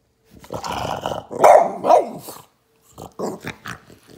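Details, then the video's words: Boston Terrier named Atlas reacting to a shaken water bottle, giving a rumbling growl that rises into two louder gruff barks, then a short pause and a few softer grumbling yips. "My Dog Reacts To Me Shaking A Water Bottle"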